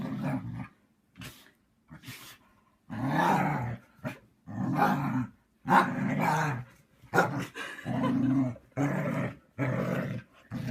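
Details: Vocal husky grumbling and muttering in uneven bursts of varying length, some short clipped sounds and sharp huffs mixed in, possibly sneezes, between low rumbling moans.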